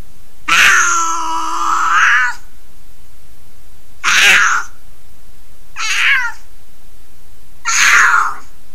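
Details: Female mountain lion caterwauling in January 2020: four loud, harsh, wavering yowls, the first long and drawn out for nearly two seconds, the later ones shorter and descending, spaced by quiet gaps of about two seconds.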